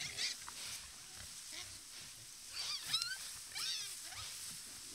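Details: Wild boars gathered in numbers at a watering hole in natural habitat: thin, high squeals that bend up and down come in brief bursts near the middle and end, over soft rustling and a faint background hiss.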